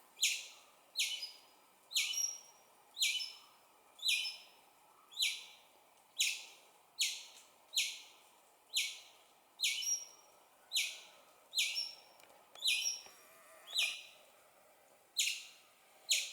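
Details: Squirrel; pup chirp; young squirrel calling its mother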